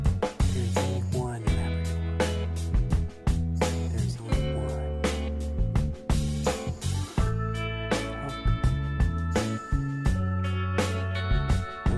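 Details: Funky guitar-driven music with a steady beat and faint speech, no animal voice.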